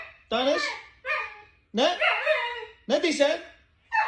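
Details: Husky giving a run of wavering, howl-like yowls, each half a second to a second long, sliding up then down in pitch with rich overtones, separated by brief silences, in a quiet indoor room.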